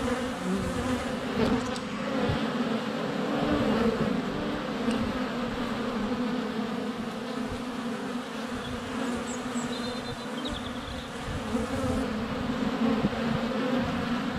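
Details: Honey bees streaming around a hive entrance during sunny February weather, GoPro Hero 7 Black set under a foot from the hive; unbroken buzzing hum, with a faint high bird chirp around the middle.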